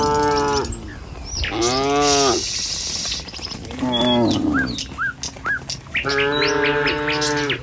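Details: Tame village cattle in a herd walking along a village road toward the pen in the morning, giving several drawn-out, deep, harmonic moos of about half a second to one and a half seconds, with bright bird chirps between the calls.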